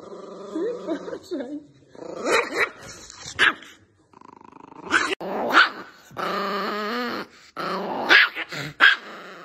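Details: An angry dog snarls with wavering, throaty growls, then lets out sharp single barks in pairs near the middle and end, spaced under a second apart.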